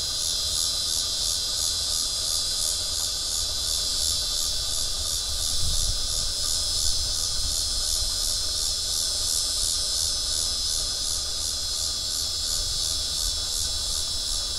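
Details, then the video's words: Cicada singing from a tree by the Arkansas River, recorded 12 September 2011: a continuous, steady, hissing buzz held at high pitch with a faint regular pulsing throughout, no pauses, and little else heard beyond a low background rumble. "Cicada Singing on River"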